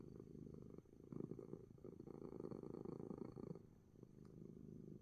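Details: Coco the cat purring a storm while relaxing in spite of a sneeze; steady dense low rumble with rhythmic pulses, swelling slightly midway, continuous throughout.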